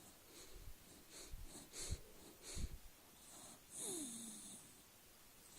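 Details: Charlie the dog, sleeping on his back, makes quick snuffling snorts, several in two seconds, then a long whistling wheeze that slides downward in pitch, with low rumbling breaths beneath.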